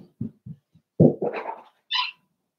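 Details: Seven-week-old Cavalier King Charles Spaniel puppies from Daisy's litter in a puppy pen in the middle of a home. A few soft low thumps, then a short wavering whine and a brief high yelp near the end.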